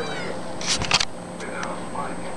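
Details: Kitten; meow; hunger, asking for food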